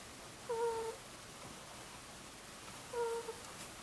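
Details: A sleeping Angora ferret named Mutchin, two years old, makes its gentle 'kuu-kuu' snore. Two short, steady whistled notes come about two and a half seconds apart, otherwise near silence.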